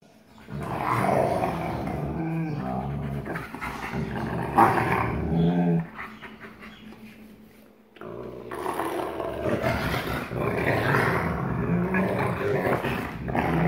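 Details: Captive wolfdog father (44% wolf, black phased) and son (56% wolf) at growl play on 1 August 2018, the father showing the son dominance: deep, rough, continuous growling with snarling bursts, a short lull near the middle, then renewed heavy growls.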